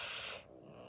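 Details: Female domestic cat Kali hisses at her owner: a short, forceful, breathy hiss of about half a second, spread bright across the range, cuts off abruptly into faint low background noise.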